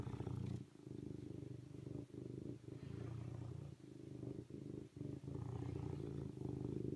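A serval purrs in a low, rumbling drone with short breaks between breaths.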